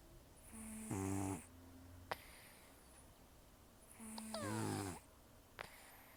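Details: Snoring in sleep from Taro, an elderly rescue cat with very heavy snores and nasal breathing: two deep, rasping in-breaths about three seconds apart, the second ending in a thin falling whistle, with quiet hiss between.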